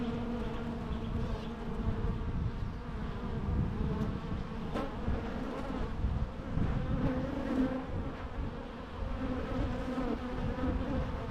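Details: Natural bee buzzing, a dense low hum over an eleven-second stretch, with passing insects briefly raising the pitch and a few faint clicks mixed in.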